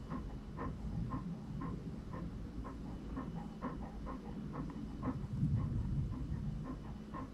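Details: Franklin, an English Cream Golden Retriever puppy, panting steadily: soft breathy huffs about three per second with an uneven rhythm over a constant low rumble of background noise.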